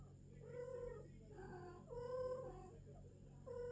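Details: British longhair cat, a golden female at her first mating, giving drawn-out harmonic yowls about half a second to a second long, repeated with short pauses, over a steady low hum and a faint high electrical whine.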